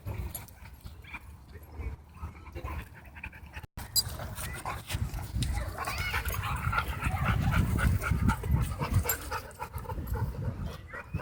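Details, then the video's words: Dogs at play in a dog park produce deep, rumbling death growls and panting that grow louder partway through, with a person calling out "no" and "hey" afterwards. "Vicious Death Growls And Odd Noises Fill Dog Park"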